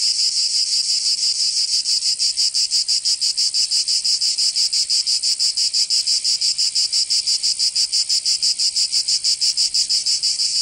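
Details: A southern French summer scene in Provence full of cicada song: an unbroken, piercing, high-pitched rattle beating steadily at a fast, even rhythm for the whole stretch.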